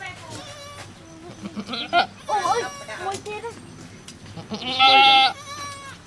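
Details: Farm goat giving birth, kid newly born: scattered short bleats and wavering calls build to one loud, sustained, quavering bleat near the end, with faint background murmur.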